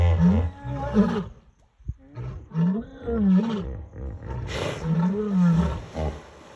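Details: Three lions on the bank of the Talek River in the evening, drawn by the smell of a hippo carcass, give deep, throaty roars swelling and fading over about a second, in a calling contest with grunting hippos.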